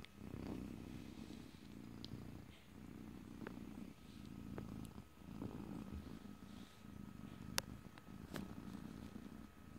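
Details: Soft rumbling purr from a domestic cat, captured ear to ear in stereo with no talking; the purr rises and falls with each breath roughly every one and a half seconds, dotted with small clicks and taps.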